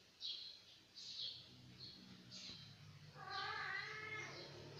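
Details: Indonesian village kittens fighting: short airy hisses and squeaks, then a drawn-out, wavering yowl.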